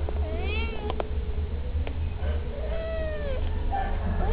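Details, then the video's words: A pair of stray kittens cry for treats they are expecting: a few arched meows and one longer wavering wail, mixed with sharp clicks and a low steady hum. "Cute Kittens Beg For Treats"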